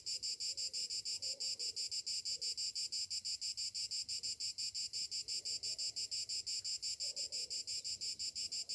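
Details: Morning cicadas in summer produce a loud, shrill, metallic buzz rapidly pulsing about three times a second, with a few faint lower warbling notes underneath.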